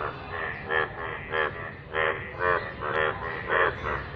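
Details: Rainwater chorus of a yellow frog: loud, regular, throaty croaks, each a short rasping burst repeated roughly every half second, set against a low continuous rumble.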